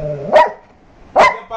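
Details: Labrador dog at bedtime barking twice, loud abrupt single woofs spaced nearly a second apart, with a soft whine-like tone before the first and quiet background between.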